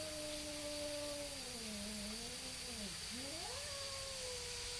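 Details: Two neighborhood cats stalling their fight with a single long, low howl that dips, wobbles and climbs again, the second cat's tone layered beneath, against a constant high-pitched whine and hiss.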